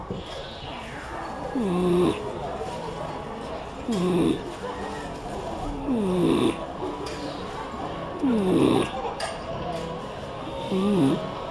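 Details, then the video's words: Beagle snoring while asleep at Tsukuba Wan Wan Land, Japan, as if its nose were blocked: a nasal, wheezy snore with a falling then rising tone, repeated roughly every two seconds, with faint voices behind. "いびきビーグル【Snoring Beagle】"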